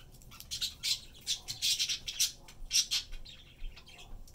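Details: Three-year-old pet squirrel named Peanut tucks into chickpea pods; a rapid string of sharp, high squeaks and chattering notes runs in quick succession, a dozen or so bursts within a few seconds.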